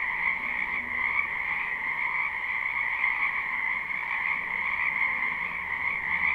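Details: Spring wetland frog chorus from a live recording: countless overlapping croaks merge into a continuous shimmering drone in two even pitch bands, pulsing slightly without pause.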